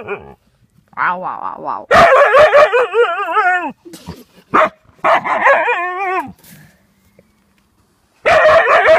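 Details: A Siberian Husky yaps at a hedgehog that will not go away. Short yips lead into a long, warbling, up-and-down yowl. Several clipped yelps and another wavering cry follow, then a pause before a new loud outburst.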